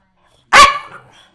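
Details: Pet dog Nash, hungry and asking for food, lets out a single sharp loud bark with a short trailing whine indoors, just after being asked if it wants its food now.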